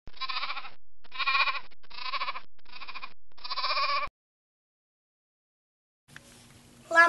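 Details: Sheep giving five short wavering bleats in quick succession, each under a second, followed by silence and then a brief burst of handling noise.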